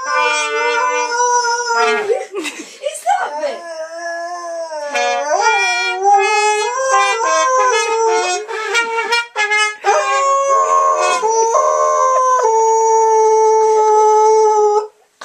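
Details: Lurcher howling along to cornet playing Rule Britannia; long wavering howls sliding up and down, mixed with the brassy sustained cornet notes and some human voice.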